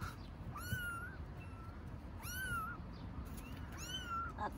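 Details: Baby stray kittens living on the street in Istanbul meowing for their mother cat: three high, rising-then-falling meows about one and a half seconds apart, each clear and drawn out, over low outdoor background rumble.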